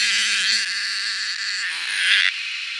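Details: Cicadas in the wild, being hunted, fill the air with a loud, steady, hissing buzz that brightens and shifts slightly.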